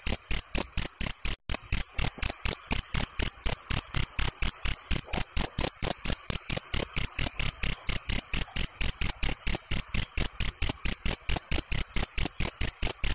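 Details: Close, loud field cricket chirping: a steady train of short, piercing, high-pitched pulses about four per second, with a brief dropout near the start and then unbroken rhythm.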